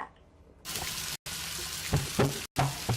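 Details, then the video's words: Underwater recording of gray whale congas, low drum-like knocks in a short series, over the steady crackle of snapping shrimp. "So the crackling sound you hear is the shrimp, and the drum sound are the gray whales."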